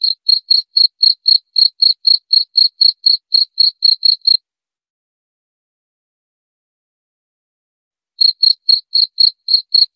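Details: Cricket chirping in a steady run of short, high pulses about four per second, stopping for nearly four seconds of silence before the chirps resume; no other sounds.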